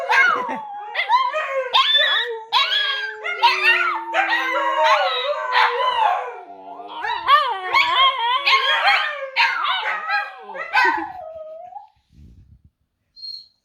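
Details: Husky crosses howling in a chorus indoors, one seven-month-old youngster joining in to copy; overlapping wavering howls, one long steady low note held for seconds beneath quick yipping, sliding higher howls, ending with a few soft noises.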